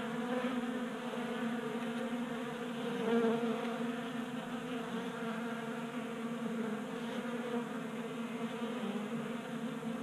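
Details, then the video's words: Honey bees feeding at a 3D-printed table-top feeder in a garage in Colorado during unseasonably warm January weather; a dense, steady buzzing hum of many wings with layered low tones, constant throughout with slight swells. "45 Minutes of Honey Bees Feasting from 3D Printed Bee Feeder"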